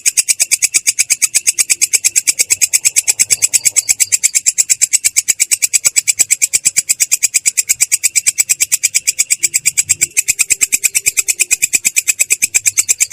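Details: Katydid (belalang kecek) in a continuous rolling call, clear yet rough in tone: a long, very even train of rasping high pulses repeated steadily for the whole stretch, with faint low thumps in the background.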